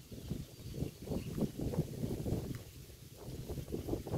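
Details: Roadside grazing by a cow, heard up close: steady, closely spaced crunchy chewing pulses, roughly three or four per second, over a low murmur of outdoor noise.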